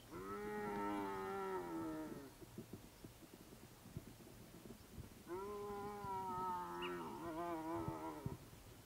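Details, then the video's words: Young striped hyena calling after sunset at dusk, perhaps calling for its mother. Two long, drawn-out, rich moaning wails, the first about two seconds, the second about three, slightly wavering and falling at the end, separated by a quieter pause with faint low rumble. "Striped hyena calling"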